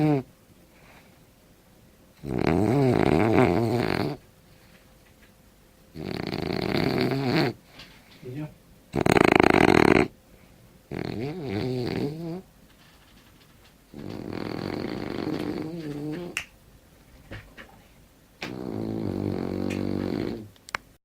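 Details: Winston the French bulldog asleep and snoring. Six rattling, throaty breaths come roughly every three seconds, some louder and harsher than others, with a faint steady hum underneath.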